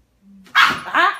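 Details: Chihuahua and Yorkie mix female dog pinning a Silky Terrier against a wall indoors for stealing her bone; two loud harsh bark-growls, the second lower, after a quiet low hum and a person's voice.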